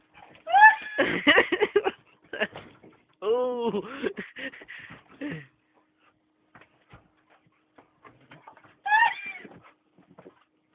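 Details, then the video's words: Akitas at play giving bursts of high, rising and falling whiny yodels with stacked harmonics, grouped in two long runs and a late short burst, with a person talking between them. "AKITAS PLAYING"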